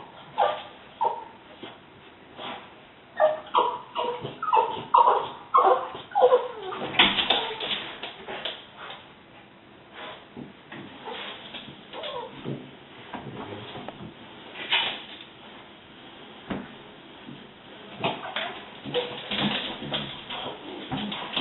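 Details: French Bulldogs indoors at a window bark, yip and whine in irregular, excited bursts at the window cleaner, who comes every fortnight.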